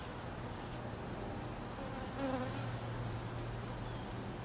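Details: Honey bees, hungry in the cold and being fed, give a low droning buzz with a steady hum tone, rising briefly louder about halfway before settling back.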